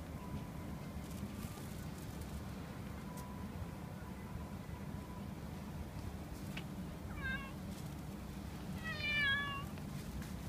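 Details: Large, very fluffy, friendly orange tabby cat, possibly a stray, found in the street, gives two short meows near the end, the second louder and bending up then down in pitch, over a steady low outdoor rumble.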